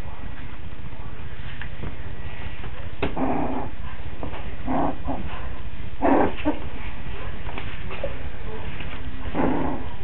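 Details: Five-week-old Coton de Tulear puppies in Orange, Connecticut, giving short yips and whimpers in scattered bursts around 3, 5, 6 and 9.5 seconds, with a constant low hum underneath.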